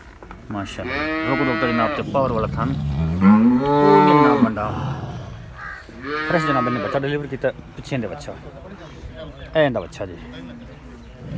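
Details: Cow at a farm in Pakistan where Girolando and Jersey cows are offered for sale, giving a long, deep, arching moo over several seconds, then a second shorter moo, with a man speaking and background music between calls.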